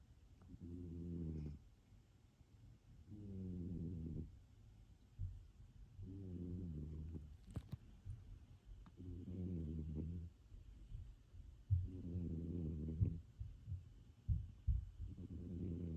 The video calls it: Snoring sphynx cat